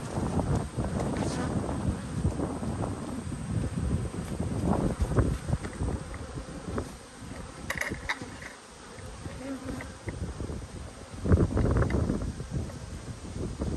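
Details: Honey bee colony with a good population, recorded while a beekeeper inspects the hive on 19 March 2022; steady low buzzing with bursts of crackling frame handling, a brief quieter dip midway, then louder buzzing again.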